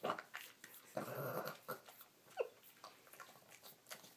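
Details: Otis, a Boston Terrier, makes odd alien-like sounds while eating indoors: a burst of grumbling, growly noise near the one-second mark, then short whiny squeaks and smacking chews in a small room.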